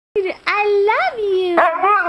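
A Siberian husky gives drawn-out, speech-like howls that rise and fall as it 'talks' with its owner.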